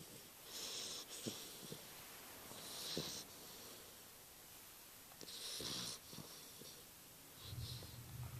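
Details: An English Bulldog puppy snores with wheezy, hissing breaths that repeat every two to three seconds, recorded on June 8, 2011.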